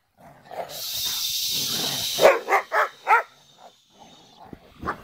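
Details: Sheepadoodle puppies meeting the big dogs. A quick run of four clipped, fairly high barks comes in close succession, then a fainter yap. A steady high hiss runs underneath the first half.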